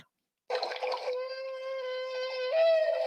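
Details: A humpback whale nicknamed Miles gives a long, steady trumpeting feeding call during bubble-net feeding, rising in pitch near the end.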